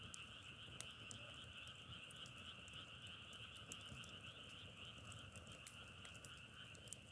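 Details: Continuous massed frog calling, said to resemble wood burning, gives a throbbing two-layered trill with rapid irregular pulses and frequent crisp clicks above it.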